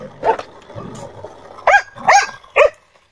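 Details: Pet dog happy with the weather barks in short bursts: one soft bark, then three sharp yapping barks in quick succession about half a second apart, with faint background rumble.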